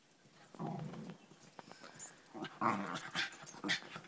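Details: Pet dog rolling around on a bed indoors, giving low rumbling growls in bursts around the first second, followed by rustling of bedding and brief higher grumbles.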